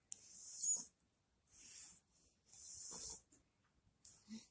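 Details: Shiba Inu struggling to breathe the day before it died. Three airy, hissing wheezes are separated by short silences, and a faint low murmur follows near the end.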